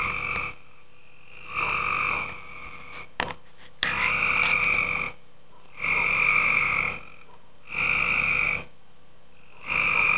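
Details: Tree frogs in a pool after dark repeat short, buzzy, ringing croaks roughly every two seconds, six calls in ten seconds, with a couple of sharp clicks midway and a faint steady hum.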